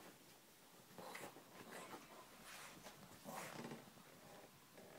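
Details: Brussels Griffon dog from the Czech Republic romping playfully indoors in a freshly washed bed, giving rough, breathy growls in short bursts, louder near one and three seconds, with rustling of bedding throughout.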